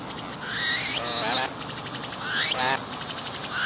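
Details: Cicada singing on a tree, filmed up close with a 180-degree 3D VR camera, its abdomen pumping as it calls: loud buzzy phrases that sweep upward into a high shrill tone, followed by broad rasping bursts, repeated twice.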